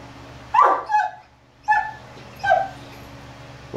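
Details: Three male Great Danes reacting to a Halloween mask, giving a few loud, separate barks with whining tails, spaced about a second apart.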